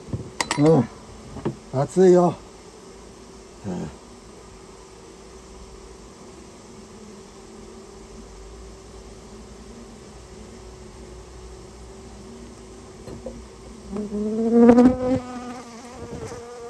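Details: Japanese honey bees from a colony nested inside a storehouse, being removed at the owner's request: a steady low hum runs throughout, with louder passing buzzes near the start and again around fifteen seconds.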